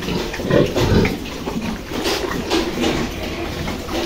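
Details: Yorkshire grandparent-line sow on a farm after farrowing a litter of eleven piglets: a couple of low, throaty grunts early on, then softer scattered grunts and snuffling against steady background noise.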